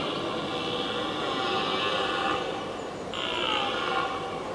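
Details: Red deer stags, two rivals challenging each other from a distance for several minutes before fighting: drawn-out, hoarse roars with rich harmonic bands, swelling and fading, a fresh bellow starting after a short break.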